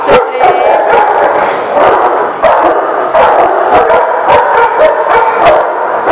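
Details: Many dogs bark together, recorded 4/6/18, in a loud, dense, overlapping chorus of sharp barks. Several barks land each second with no quiet gaps, and the sound is harsh and distorted.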